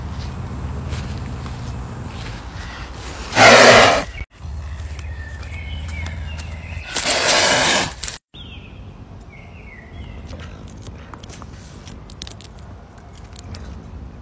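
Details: Caracal named Pumba hissing, two loud bursts of broad breathy hiss near three and seven seconds, cut between scenes, with rustling and footstep-like background noise and faint whistling bird-like notes later.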